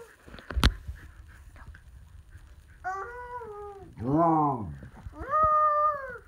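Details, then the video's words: Samoyed howling together with her sister, a second Samoyed, indoors: after a quiet start with a sharp knock, three drawn-out harmonic howls, the middle one arching up and down, the last steady and slightly falling. "Lexi the Samoyed and Sister Nika Howl!"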